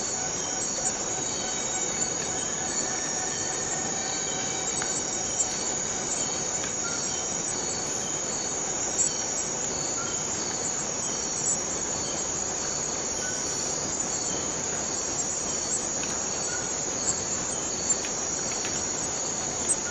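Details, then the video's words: A Borneo rainforest cicada's steady, high, metallic buzz drones on without a break. "Borneo Rain Forest Cicada - Cicada sound - cicada noise"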